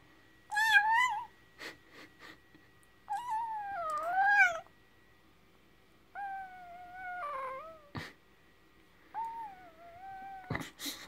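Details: Newborn Dogo Argentino puppy, about ten minutes old, cries in high, wavering tonal whines that rise and fall, with a few sharp squeaks and clicks between them. Short pauses separate the cries, and faint handling noise is heard.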